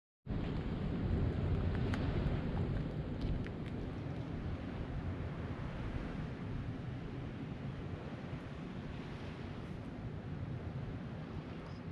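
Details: Steady roaring wind and surf at a fishing harbour, broad rushing noise throughout with a few faint clicks, no animal voices.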